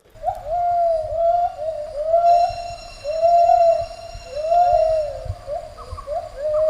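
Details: A male and female gibbon holding a territory sing their morning duet of pure, swooping whoops, rising then falling, repeated roughly every second and a half.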